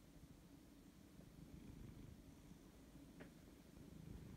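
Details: Siberian cat, drowsy and reluctant to wake up, purring indoors: a soft, steady low rumble with a fast pulsing texture throughout, plus one brief thin rising squeak near the end.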